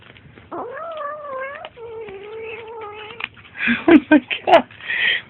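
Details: Kittens growl at each other during feeding, giving two long, steady, moaning growls with a slight waver, followed by clicks, bumps and brief human voices.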